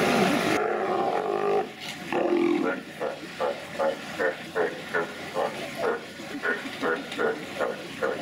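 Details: Sea lions making fart-like noises: a rapid series of short, blurted pulses repeated a little over twice per second, over steady background noise, with a loud burst of noise at the start.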